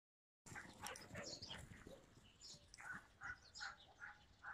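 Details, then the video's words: Yakutian Laika dog, recorded June 2021, giving a quick series of short, high, harmonic yelps that come about three per second in the second half, after softer scuffling sounds at the start. "Yakutian laika"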